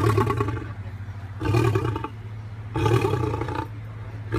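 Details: Low, rasping growl from a rescued captive lion, swelling into three loud throaty pulses about every one and a half seconds over a continuous deep rumble.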